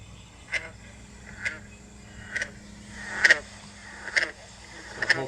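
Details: A green frog (Lithobates clamitans) from Connecticut, sitting content, gives short, plucked twangs like a loose banjo string, about one per second; this call is common around ponds on summer evenings.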